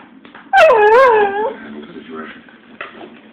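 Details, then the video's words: Female dog prompted to "Speak" lets out one drawn-out wavering whine, dipping and rising in pitch for about a second, followed by soft murmuring and a brief faint yip. "Cutest Dog Whining"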